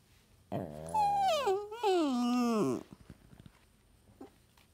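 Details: Two dogs ganging up on their owner, one giving a long drawn-out howling moan that starts high, slides down through a wavering whine and ends in a low groan, followed by quiet breathing and faint noises.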